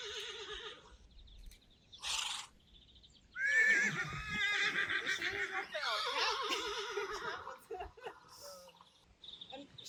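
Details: Friesian horse at a photo shoot giving a quavering, wavering whinny that shakes up and down in pitch, with a second tremulous neigh later. Dutch voices talk over it and small birds chirp in the background.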